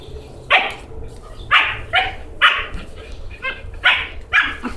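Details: Young female puppy that followed someone into a house, wanting to play: six short, high, yappy barks spaced roughly a second apart, with a soft low hum behind.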